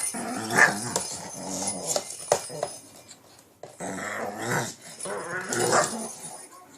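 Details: Shih Tzu growling playfully while attacking a cat toy late at night indoors in Pennsylvania, with rough rumbling growls in several bursts separated by brief pauses and a sharp yap mixed in.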